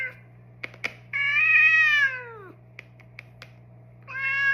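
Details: A massaged house cat, male, lets out a long drawn meow that starts level and slides downward, framed by sharp cracking clicks and ending with the start of another meow, all over a low steady hum.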